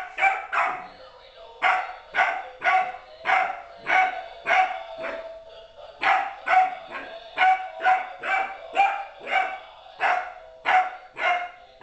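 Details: Rapid run of high, sharp puppy barks from Apollo, 13 weeks old, meeting another dog for the first time; barks come in quick pairs and clusters, roughly two per second, with a short pause before the second burst.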